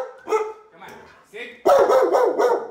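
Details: Female Belgian Malinois in Northern New Jersey, described as unpredictably aggressive, meeting a dog behaviour trainer for force-free training. A man's voice first, then a sudden burst of loud, harsh, rapidly repeated barking filling the final second.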